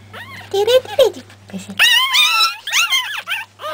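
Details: A person speaks briefly before three-week-old Pekingese puppies break into loud, strained, wavering squeals that climb and fall, several cries overlapping, over a faint constant hum.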